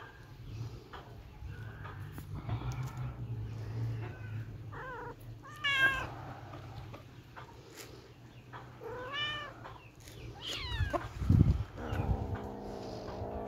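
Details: Playful kittens giving scattered short mews and squeaks amid soft rustling and knocks, a louder bump near the end followed by a longer wavering meow, with a constant low hum throughout.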